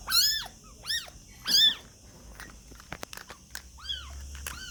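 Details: Young kittens giving loud, high, arching mews, three strong cries in the first two seconds, then clicks and rustling, followed by two softer mews near the end.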